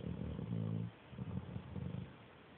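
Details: Dog asleep and snoring piglike, Android phone recording: a deep, droning snore with a steady buzzing tone breaks off, followed by softer, ragged snuffles that trail away.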